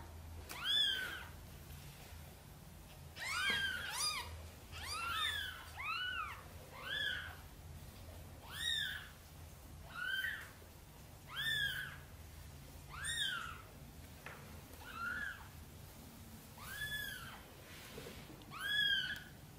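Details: Sonny the mother cat softly calls for help moving her tiny kittens into the nest: about fourteen brief, arched meows repeated every second or so over a low steady hum.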